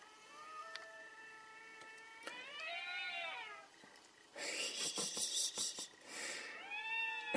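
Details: Cats in a fierce fight let out a low moan and a long arching yowl, followed by a burst of harsh, hissing scuffle noise, then another rising yowl.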